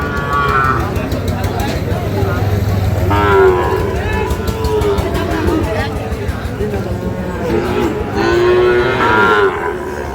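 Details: At Ambari market in Parbatipur, Dinajpur, Sahiwal bull calves raised for fattening give two drawn-out, wavering moos, one near the middle and one late, over continuous human chatter and price haggling.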